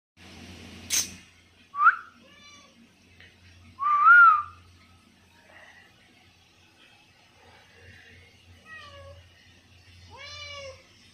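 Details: Domestic cat, tagged Malaysia; several short, clear, downward-sliding meows spread across the clip, with a louder one near four seconds and a sharp click early on, in an otherwise quiet setting.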